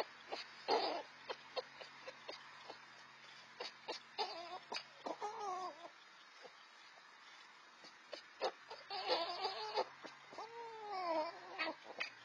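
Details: Two young red fox siblings, four to five months old, competing over food; rising and falling wavering whines and screams mixed with harsh cackling chatter, coming in two loud bouts separated by a quieter stretch.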